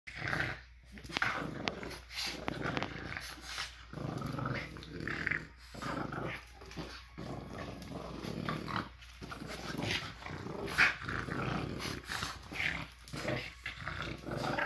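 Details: Two French Bulldogs growling during a tug-of-war game indoors after breakfast on a Monday morning; rough, broadband growls in bursts with short pauses, plus breathing, scuffling and thumps of play.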